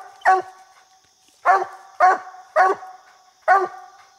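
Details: Coonhound on a treed raccoon during a coon hunt, barking roughly 70 times a minute; five sharp, ringing barks spaced under a second apart after an opening gap.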